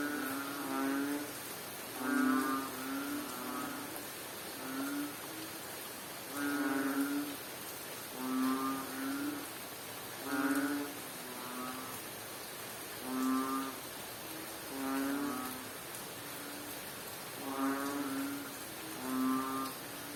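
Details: In Bohol, Philippines, a frog calls through the rain with a strange, low, nasal croak rich in overtones, repeated roughly every one to two seconds, sometimes doubled, over constant rain noise.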